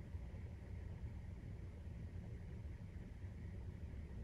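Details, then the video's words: Maine Coon cats purring during nursing, kitten 43 days old, indoors: a steady low rumbling purr, continuous throughout with no breaks, no other sounds standing out. "授乳時のゴロゴロ 生後43日目【メインクーン動画】"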